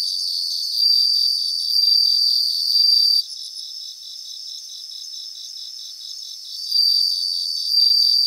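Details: Bell crickets in chorus in grassland in Japan, with bright sustained ringing trills that break off for several seconds and then resume. A continuous train of quick, regular pulses from other crickets runs beneath them.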